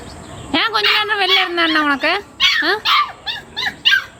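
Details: Pet Labrador puppy whining indoors: one long, drawn-out whine lasting about a second and a half that slowly falls in pitch, followed by several shorter yelping whimpers, with a person's voice mixed in.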